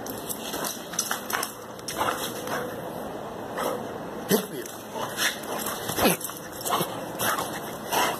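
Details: A Boxer dog plays and shows joy at seeing its owner, a daily greeting. Short yelping whines and scuffling bursts come and go while a person repeatedly and softly says "calma" in Portuguese, over a steady background hum.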